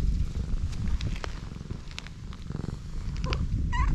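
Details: Pregnant black cat lying on her back with her big belly up, letting her rounded stomach be touched; a loud, rapid, pulsing low purr fills the clip, with small scraping noises and a short higher squeak near the end.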